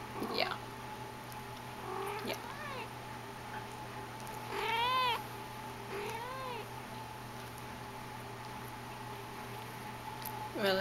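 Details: Persian kitten from a litter, filmed indoors on 05.30.10, giving a series of short, thin, arched meows, about five spaced a few seconds apart, some rising then dropping, over a steady low room hum.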